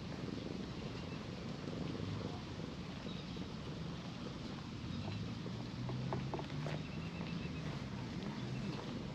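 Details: A stray cat in Japan, petted by the riverbank and settled contentedly on a lap, purring in a low continuous rumble that swells and fades through the recording, with faint clicks and outdoor hiss.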